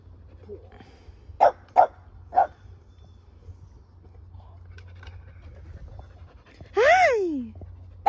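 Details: A fluffy male Keeshond hugging and kissing his owner indoors; three short soft huffing barks, a quiet pause, then a drawn-out rising-and-falling whine, with a low steady hum behind.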